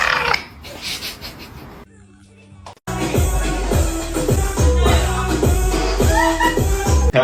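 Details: A brief stretch of speech gives way to a pulsing electronic music track with a thumping bass beat. No animal sounds can be picked out.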